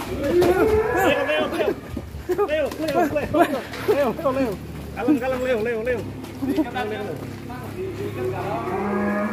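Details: Bull raging on its first time out of the pen in Indonesia, giving a run of loud wavering bellows, several per second in places, rising and falling, over men's voices and background crowd noise.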